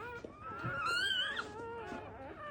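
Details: Just-born black Labrador Retriever puppy being revived with emergency CPR, first litter: one drawn-out, thin whining wail that rises and then falls over about a second, with fainter squeaks around it.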